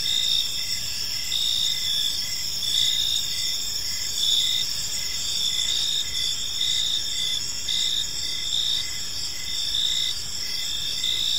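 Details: Evening park ambience of crickets: dense, continuous high-pitched chirping layered in several bands, with short rhythmic pulses repeating under a steady shimmering drone.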